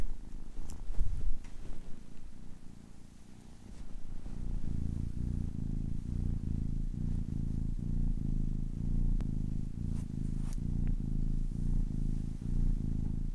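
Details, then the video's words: Purring from a 10-week-old kitten, quiet and irregular for the first few seconds, then settling into a steady, deep rumble pulsing in regular breaths, with a few faint clicks above. "10 weeks old kitten purring"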